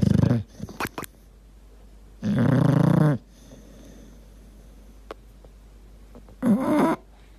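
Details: Dog snoring and gurgling in deep sleep indoors: low, rasping snore bursts about a second long, recurring roughly every four seconds, with a few faint clicks and quiet breathing between them.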